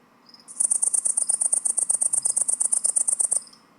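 A great green bush-cricket sings a shrill, high-pitched buzz of rapid pulses lasting about three seconds.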